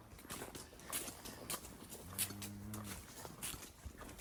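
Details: Cows held and driven by working dogs during cow cleanup before the fall gather: one short, low moo lasting about a second mid-clip, with clattering knocks and rough outdoor noise around it.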